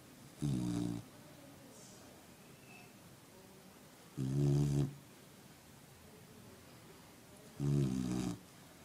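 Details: Puppy fast asleep, letting out three loud, throaty snores at an even pace, one roughly every three and a half seconds, each a low buzzing rasp with long quiet pauses between.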